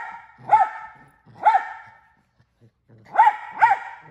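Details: A male mini Australian Shepherd barking nonstop: four sharp, bright barks, two spaced about a second apart, then a pause and a quick pair.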